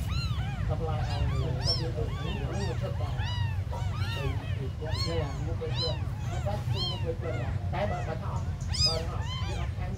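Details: Abandoned kittens, described as very small, meowing almost nonstop in a dense overlapping chorus of high arched cries, several voices at once, over a steady low rumble.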